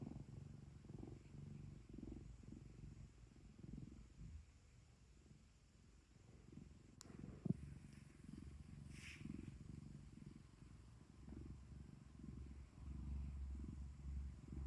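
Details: Pet cat at home purring continuously, a low throbbing rumble with gentle breath-by-breath swells, one sharp click midway, and a soft low hum near the end.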